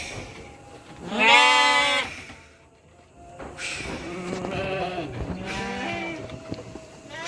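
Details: Three-month-old Garut sheep of the petet type being shipped to Purwakarta, Indonesia: one loud wavering bleat, then overlapping quieter bleats from several animals, with faint background voices.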